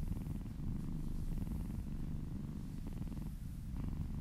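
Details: Steady, rumbling purr of a happy kitten being massaged, low and rapidly pulsed without a break, with brief soft rubbing noises over the top.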